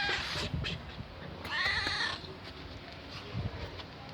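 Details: An old, hungry and thirsty female cat found in a garage, meowing for food, gives one drawn-out, wavering meow in the middle of the clip over steady background noise and faint knocks.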